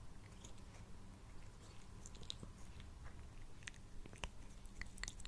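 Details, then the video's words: Pet cat Sushi, a male, eats close to a Blue Yeti microphone indoors. Soft irregular chewing clicks, bunching into a denser crunching burst near the end, sit over a continuous deep purring drone. "Cat Purring and Eating Sounds"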